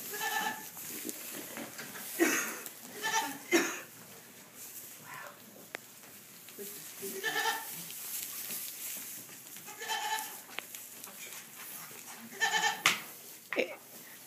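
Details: Young myotonic (fainting) goat kids in a barn bleat repeatedly in short, quavering, nasal cries, several voices overlapping.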